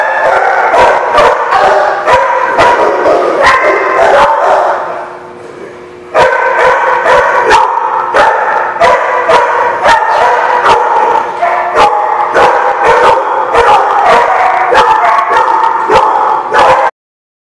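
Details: Crowd of dogs at The Barking Lot on 8/12/16 keeping up relentless, overlapping barking and yipping. A short quieter gap falls around five seconds before the din resumes and cuts off abruptly at the end.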